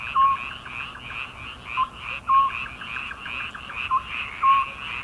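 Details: A midsummer frog chorus: overlapping trains of quick rattling pulses, punctuated by brief whistle-like notes at irregular intervals.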